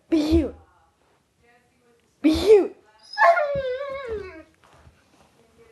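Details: Female Rhodesian Ridgeback, 21 months old and 95 lbs, indoors in a room while being asked to be cute; a person's voice speaks twice, then a high wavering whine falls in pitch for about a second.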